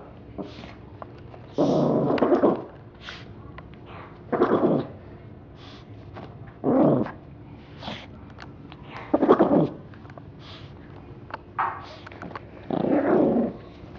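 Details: A little dog named Roses attacks a teddy bear, snarling and growling in short rough bursts of about half a second to a second, roughly every two seconds, with faint quieter snuffling between them.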